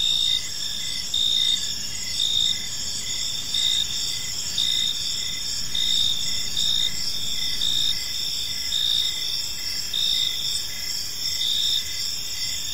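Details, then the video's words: Evening in a peaceful park, crickets keep up dense high-pitched chirping, with short louder pulses repeating about once a second above a continuous shimmering insect drone; low background rumble stays faint. "Cricket Sounds in a Peaceful Park | Evening Ambience"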